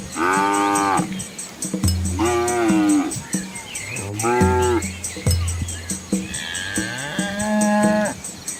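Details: Village cattle, dozens of cows with calves walking along a rural road among green rice fields in Asia, moo repeatedly: sustained, low, rich bellows rising slightly then falling, some higher-pitched, over faint background noise. Finding: cow.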